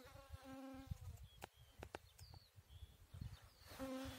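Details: Bees at work on a chicory flower; a steady low droning buzz opens and closes the recording, with sharp bird chirps and whistles in between.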